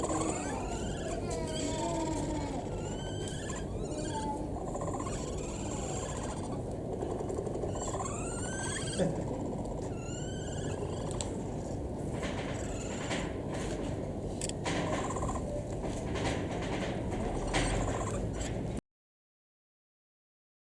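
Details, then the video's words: Capybara crying in a series of squeaky, rising whistled chirps, several in quick bursts, then fading into short clicks, over a steady low rumble. "【カピバラ】癒しの鳴き声♥~Capybara cry~"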